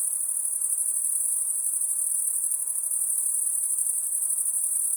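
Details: Night-time insect sound: a thin, shrill, sustained whine that stays level and constant, faintly pulsing, with only soft background noise beneath.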